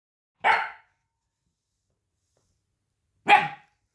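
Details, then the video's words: A small puppy with a very shrill, high voice gives two sharp, short yaps about three seconds apart, with silence between them. "Bruit de chiot qui aboie"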